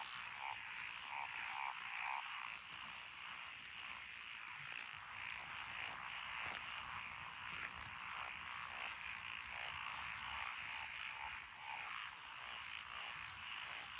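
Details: Chorus of frogs from lotus rice paddies beside a country road, Echizen, Fukui Prefecture, Japan, 12 June 2021, including Japanese tree frog, Tonosama frog, wrinkled frog, Schlegel's green tree frog and forest green tree frog: quick overlapping croaks pulse about twice a second, with brief bright notes early on.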